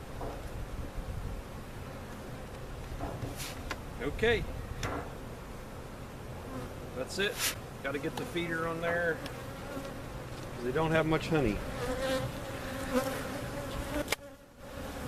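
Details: Honey bees from a giant hive cutout humming steadily during relocation to a permanent spot at Jerome Bee Farm, Central Oklahoma; buzzing swarm with a brief voice, tapping and clattering of equipment.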